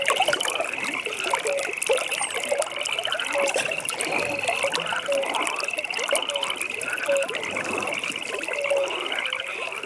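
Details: Pond frogs calling together at night, layering a steady high rattling trill with brief, bright, lower chirps that pop up every second or so, the chorus unbroken throughout.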